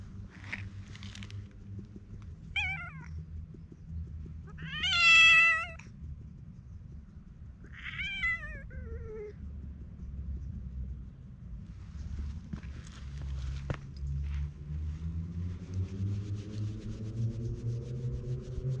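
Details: Stray community cat with mask-like markings, being tapped and stroked, seeming to plead in cat language: three or four clear rising-falling meows in the first eight seconds, one longer and louder, then low purring and handling noise.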